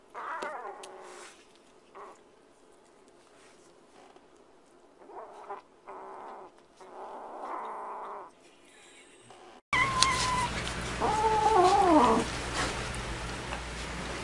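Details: Domestic cat in a compilation of funny pet moments: soft, wavering mewing calls at first, then after an abrupt cut a loud, drawn-out wailing yowl with bending pitch over a noisy background.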